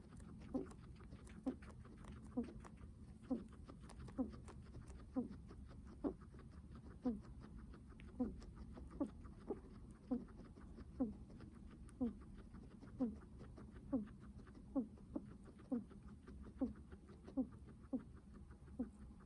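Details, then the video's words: Steady heavy breathing from a guinea pig: a soft, low, wheezy puff repeats very regularly, a little under once a second, for about twenty breaths against faint hiss. "Guinea pig heavy breathing sounds"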